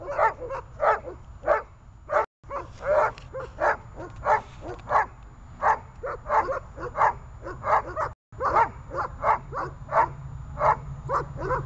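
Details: Runa, a dog practising holding and barking during guard training, delivers a steady series of loud, sharp barks, roughly one every two-thirds of a second, over a low constant hum.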